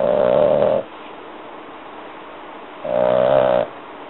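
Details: Sleeping female French Bulldog puppy, three and a half months old, snoring heavily. Two rattling, whiny inhalation snores sit about two and a half seconds apart, separated by soft breathing hiss.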